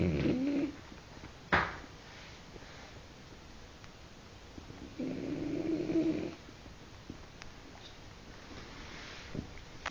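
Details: A French bulldog snores in a quiet room, making two rough, muffled snores about five seconds apart, with a sharp knock and light rustling between them.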